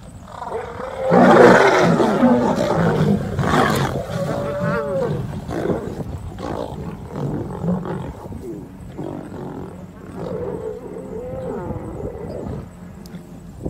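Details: Male lions meeting a pride trespassing on their territory produce harsh, loud roaring and growling snarls, strongest early then continuing in rougher, uneven bursts, with lower grumbling throughout.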